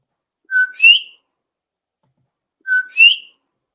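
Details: A male common coquí (Eleutherodactylus coqui) sings its whistle-like two-note song, a flat 'co' then a higher rising 'quí', calling its own name; females normally don't sing.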